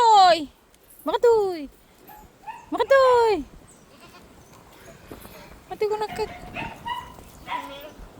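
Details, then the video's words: Pet goats calling: three loud, falling, harmonic bleats in the first half, each about half a second long, followed by softer, more distant bleats and faint background noise. "Mga alaga kung kambing"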